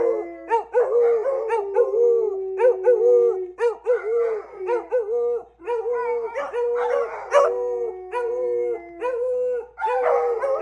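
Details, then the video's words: Several beagles howling and singing together alongside a lab: overlapping long, tonal wails with steady held notes and quick wavering yelps, layered voices rising and falling continuously, pausing only briefly. "Howling singing beagles"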